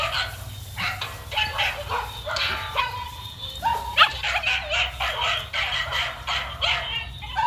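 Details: Running male dog barking repeatedly in uneven bursts, some barks rising into yelping tones, with a low rumbling background throughout.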